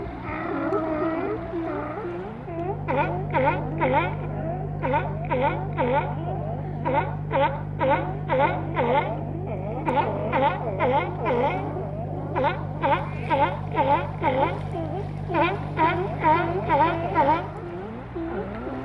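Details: Sea lions out of the water on Vancouver Island, Canada, bark in quick runs of three or four hoarse, honking calls over a steady mechanical hum.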